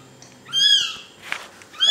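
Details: A little kitten, recently handed back to its protective mother cat, gives two high, clear mews that arch upward and fall away, with a short noisy rustle between them.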